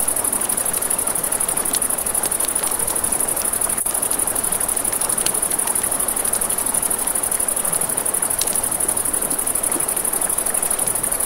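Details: Crickets at night beside a river, a steady high-pitched shrill trill running unbroken through the whole stretch, over the rushing wash of the river and sharp pops and crackles of a campfire.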